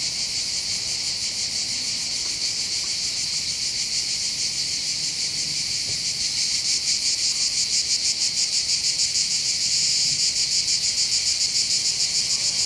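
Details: Cicadas singing on the heights above the port of Bandol, Var, on the Côte d'Azur by the Mediterranean in southern France: a dense, high, rasping buzz that throbs about three times a second and holds steady throughout, with no other clear sounds.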